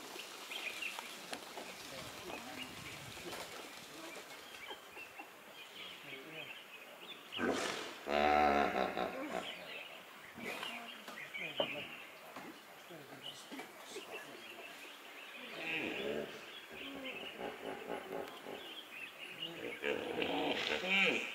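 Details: A common hippopotamus marking territory in Kenya gives a loud, deep, honking burst, followed by quieter grunts and rumbles.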